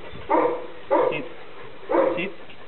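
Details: Five-month-old English Springer Spaniel puppy giving three short, mid-pitched barks, two close together and a third after a pause, during indoor obedience practice.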